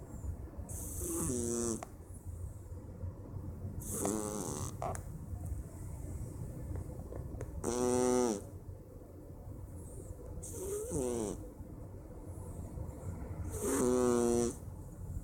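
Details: On a Wednesday afternoon a Persian cat snores in its sleep, five wheezy, nasal, harmonic snores spaced roughly three seconds apart, some with a whistling rise or fall, against a constant low hum.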